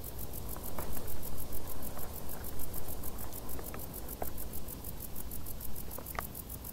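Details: Summer crickets in tall grass keep up fast, high, evenly spaced chirps while a louder low rumble swells and fades underneath, with a few scattered ticks.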